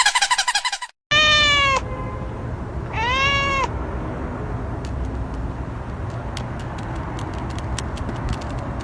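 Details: Two clear, drawn-out meows from a cat in a playful, funny compilation, each harmonic-rich and gently arched, following a burst of noise; steady background hum and scattered clicks continue afterwards.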